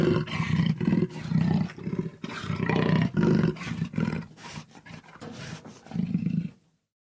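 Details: Jaguar giving a series of low, gravelly, pulsing growls, about two harsh grunts each second, swelling and fading in bouts before ending in silence.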